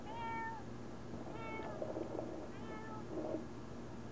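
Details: Domestic cat meowing at a window as its owner asks it to go away; three clear tonal meows, each short and slightly falling, spaced about a second apart, with faint room noise between.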